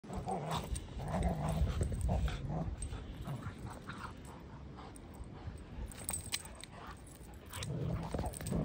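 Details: A playful, feisty Old English Sheepdog puppy on a farm growls and grumbles in low, rumbling bursts.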